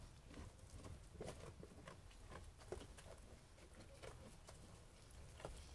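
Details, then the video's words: Sheep eating food, heard as a steady patter of crisp crunching clicks scattered throughout, with a low rumbling background underneath. "Sheep Eating Food ASMR"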